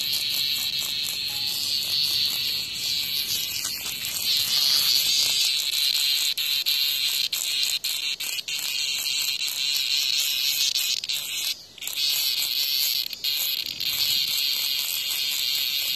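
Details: Cicada attacked by a hornet in front of a house; continuous high shrill buzzing with slight pulsing, briefly dropping out near the end before resuming.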